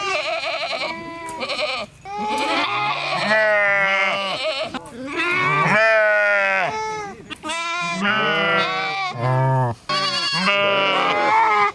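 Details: Repeated sheep bleats, some long and shaky, others short and rising-then-falling, coming in bursts with brief silent gaps throughout.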